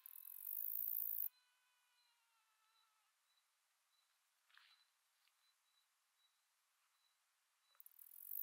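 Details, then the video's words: A male Greek predatory bush-cricket (Saga hellenica) sings a loud, hissing, high-pitched buzz that stops abruptly, then starts again; recorded 14 July 2023 at Aspraggeli, Epirus, Greece. "Greek Predatory Bush-cricket Saga hellenica, singing male"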